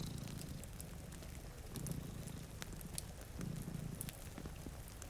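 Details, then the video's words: Two cats dozing in front of a rainy window next to a fire give a soft, continuous rumbling purr that grows louder in short swells, accompanied by rain patter and crackling firewood. "Purring Cat"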